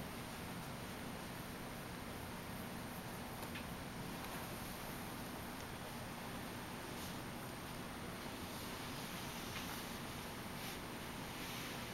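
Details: A steady, even hiss with no breaks fills the whole stretch, and no kitten cries are heard.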